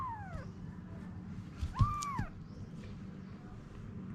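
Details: Domestic cat Anna, a mother with her kittens: a clear falling meow opens, then a second arched meow rises and falls near the two-second mark, over a low steady background hum.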